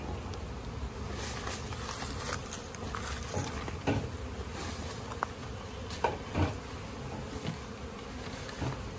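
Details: Honey bees during natural honey collection in an Indian village, bee farming setting; a low, dense, steady buzzing hum with scattered clicks and knocks throughout.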